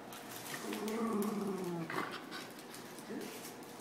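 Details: Toy Schnauzers Indie and Keywee playing, one giving a drawn-out whining whimper with sliding pitch lasting about a second, then a short yelp; a man's voice follows.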